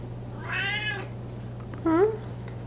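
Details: Siamese domestic cats, kept as pets, meowing while competing over chicken at feeding time: a drawn-out harmonic meow with a wavering pitch, then a shorter rising-falling meow, over a steady low indoor hum.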